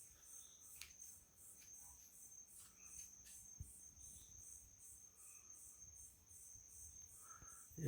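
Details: Night crickets at a country property in Itariri, Brazil, giving a continuous high pulsed trill, joined by scattered short chirps and clicks from frogs or other night creatures, ending with a sudden loud noise.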